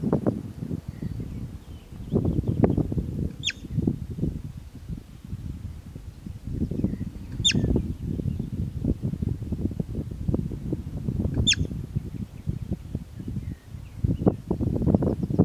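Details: Steppe marmot (bobak) repeating a short, piercing whistle three times at even four-second intervals, each note dropping quickly in pitch, with low wind noise and rustling throughout.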